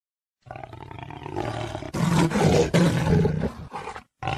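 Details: Jaguar roar: a deep, rough, rumbling roar building over about three seconds, louder and harsher in the middle, with a short break and a final burst at the end.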